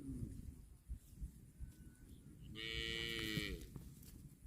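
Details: Grazing cow lets out a single strong, steady moo lasting about a second, following a softer call at the start, amid crunching and chewing noises from eating grass.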